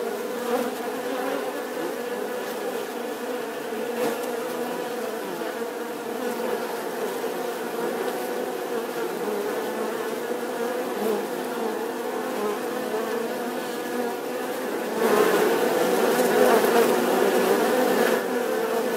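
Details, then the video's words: Bee buzzing steadily for nineteen seconds, a continuous droning hum with a strong low harmonic band and stacked overtones, growing slightly louder and rougher near the end as if the insect moves closer. "Tiếng kêu của con Ong || The sound and picture of the Bee"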